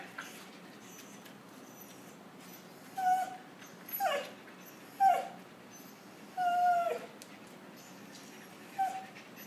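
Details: Puppies whimpering and whining: five short high-pitched whines between about 3 and 9 seconds, some sliding downward, one longer drawn-out whine near 7 seconds, over a quiet background hiss.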